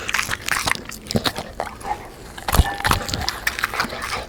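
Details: Crisp, sharp bites and wet smacks from a black Labrador eating fried dough with sponge cake and vegetables, each bite clearly separate, with a brief tonal squeak in the middle.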